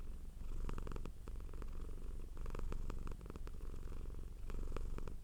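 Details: Cat purring in a low continuous drone, pulsing evenly, accompanied by clusters of faint crackling and rustling noises.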